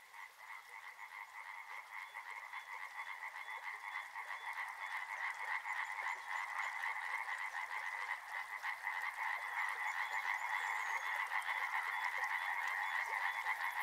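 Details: By a river, frogs start quietly and swell into a loud, evenly pulsed chorus of quick croaks, with a faint high chirping above.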